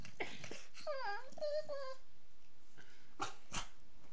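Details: A female Beagle puppy, playing with her owner, gives a short, wavering howl of high, quivering notes that rise and fall, typical beagle sounds.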